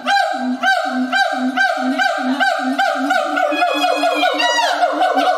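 A siamang gives loud, resonant barks repeated about twice a second, ending in rising whooping notes.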